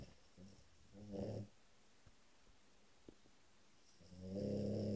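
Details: Sleeping French Bulldog indoors, giving two low, rough, harmonic snoring breaths, one near the start and a longer, louder one at the end, with quiet pauses between.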